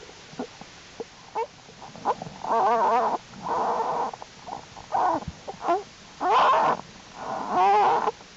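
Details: Winter den of Jewel the American black bear, January 31, 2012, cubs active in unusually warm temperatures: short squeaks build into long, warbling, whining cries, several sustained for nearly a second, with soft grunts between.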